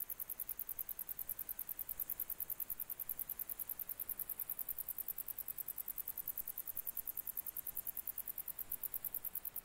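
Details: Song of a grey bush-cricket, July 2021, a continuous run of sharp, high-pitched stridulation pulses repeated rapidly and evenly, with soft background noise and nothing else clear.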